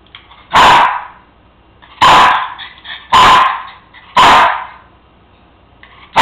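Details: Indoor Cairn Terrier barking insistently for a bone left on the kitchen counter: a steady series of four loud, harsh barks about every one and a half seconds, with another starting at the end.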